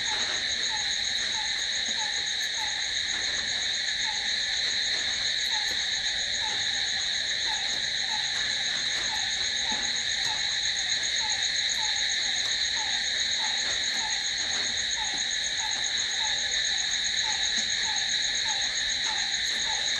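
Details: Crickets at night in a long, steady chorus of shrill high-pitched trilling, never pausing, with faint descending chirps pulsing regularly underneath.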